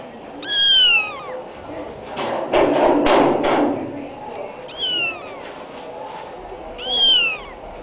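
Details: A black kitten gives three high, thin meows, each a short cry that bends downward at the end, spaced a few seconds apart. A burst of rustling, handling noise fills the gap between the first and second.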